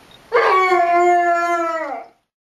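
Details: Basset Hound howling along with tornado sirens; a single steady, sustained howl lasting almost two seconds, holding a nearly level pitch with rich harmonics before sliding down and fading at the end.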